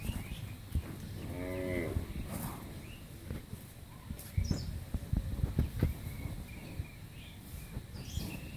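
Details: Friesian dairy cow, eight and a half months pregnant, in her first calving, at a farm in Pabna, Bangladesh; a short, deep moo of under a second rises then falls, followed by scattered knocks and low rustling.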